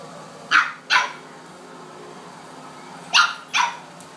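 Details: A 9-week-old blue Boston Terrier puppy gives two pairs of short, sharp, high yapping barks at an adult dog he is playing with, wanting more attention.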